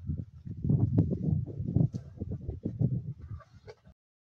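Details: Male lions of Plains Camp feasting on a kill in the wild, Sabi Sands, 25 March 2024; deep, rough growls and rumbling snarls come in quick irregular bursts for about four seconds, then stop abruptly into silence.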